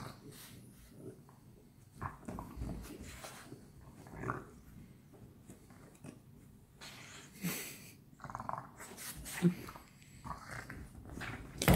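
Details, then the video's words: French Bulldogs playing together at night: deep, grumbling growls and snorting huffs rise and fall irregularly, broken by louder scuffling bursts toward the end as the play grows rougher. "Funny: the French Bulldogs play together!"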